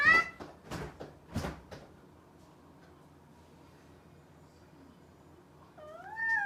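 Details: A domestic cat gives a short clipped meow. A few sharp knocking or clattering sounds follow, then a quiet stretch, and finally a longer meow that rises and bends downward.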